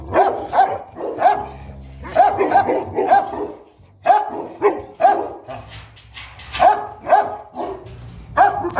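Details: Boerboel pair, the South African Mastiffs Enzo and Diva living in Egypt, playing; steady volleys of resonant, slightly rising barks repeat roughly every half second, grouped in threes and fours with short breaks.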